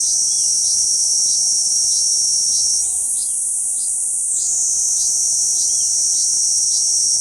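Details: Kuroiwa cicada singing on a banyan trunk in central Okinawa Island, Japan, on 11 June 2023: a loud, continuous high-pitched shrill buzz with short ticking pulses about three per second. The buzz briefly shifts higher in the middle.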